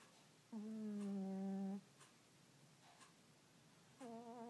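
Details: Sleeping cat named Earl snores twice, each breath a low, even, droning hum, the first held for over a second, the next beginning about two and a half seconds later, with near silence in a small room between.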